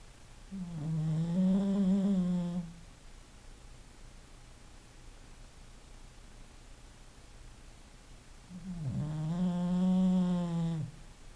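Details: An English Bulldog asleep and snoring: two deep, rasping, harmonic snores, each about two seconds long and roughly eight seconds apart, separated by near silence.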